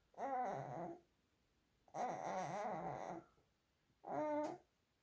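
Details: Holden, a pet dog, vocalizing before bed indoors in a small room: three drawn-out, wavering, moaning bouts, each about a second long, with a warbling pitch and rich overtones, separated by short quiet gaps.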